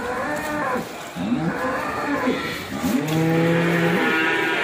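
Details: Ongole cattle from Indonesia lowing: a series of deep, pitch-bending moos, rising then falling, closing with a long, steady, sustained moo over faint background noise.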